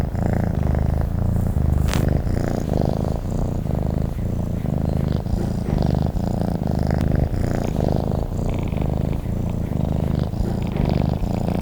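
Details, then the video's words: Cat purring while asleep, a low, coarse rumble rising and falling with its breathing in steady cycles, broken only by a faint sharp click near the start. "Sleep and the sound of a cat purring"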